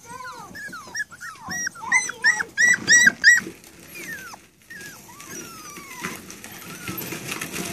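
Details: Rat Terrier puppies, seven and a half weeks old, indoors: a run of high, squeaky whimpers and yelps bunching into a quick burst of rising-falling squeals midway, then fainter drawn-out sliding whines, with a person talking quietly.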